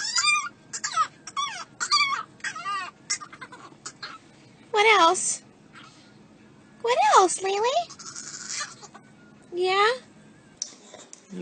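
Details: A talkative dog gives a few bending, moaning yowls that swoop down then up, separated by pauses, after a stretch of quick chattery sounds and a person speaking.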